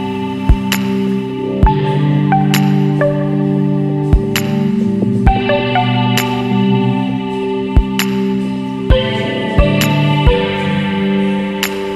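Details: Soft ambient music with chiming mallet notes and sustained tones plays throughout, without any animal sound.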